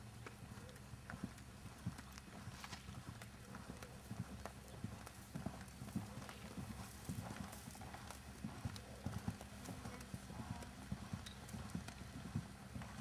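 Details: Jerry, a six-year-old registered 3-gait Tennessee Walking Horse, keg-shod, natural moving and head shaking, with show experience. Irregular clip-clop hoofbeats come steadily, about 97 per minute, with people talking in the background.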